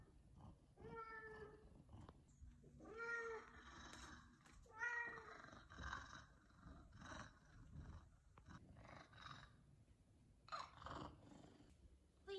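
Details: An F2 Savannah cat utters three brief, tonal meows, each slightly bent in pitch, asking for chicken at feeding time. Household noise and a person's voice fill the gaps between calls.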